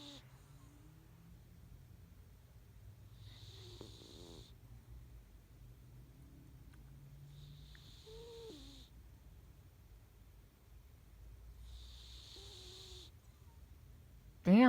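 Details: Sleeping female domestic cat snoring loudly: hissy, rasping breaths repeat roughly every four seconds in a quiet indoor room, with a low background hum and a sudden loud sound at the very end.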